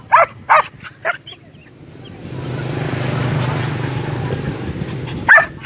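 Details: Belgian Malinois in Vietnam giving a few short, sharp barks at the start, then a low rumbling noise like a passing vehicle, then one more loud bark near the end.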